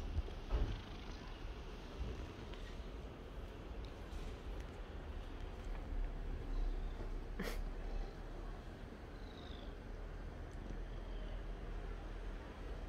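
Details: A seal point Siamese cat purrs steadily in a deep, continuous rumble, showing contentment while it is petted and seeking attention.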